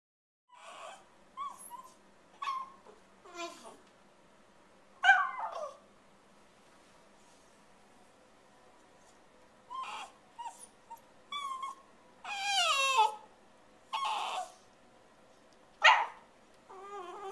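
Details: Female Shiba Inu indoors beside a fridge, filmed April 23, 2010, urging her owner to hurry with dinner: a string of short whiny, yodel-like wavering calls, some sliding up and down, separated by quiet pauses.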